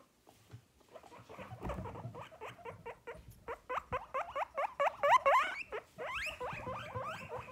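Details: Pet guinea pigs, a group of males kept indoors, during a cage spot clean just before being given mini cucumbers. A rapid run of short, squeaky rising wheeks, about twenty in quick succession, growing louder toward the end, with faint rustling.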